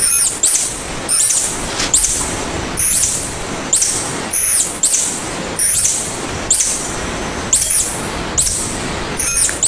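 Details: Tarsier, locally called tangkasi or little monkey: short, very high squeaky chirps with a thin whistled edge, repeated roughly every 0.8 seconds over a steady hissing wash of background noise.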